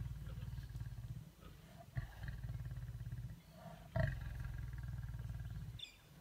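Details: Lions in a stand-off growl at each other in deep, pulsing rumbles that run almost without a break.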